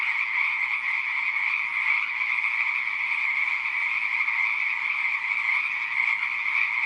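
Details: Dense massed calling of frogs in a pond, high buzzy trills running without a break, with gentle swells in volume and nothing else heard.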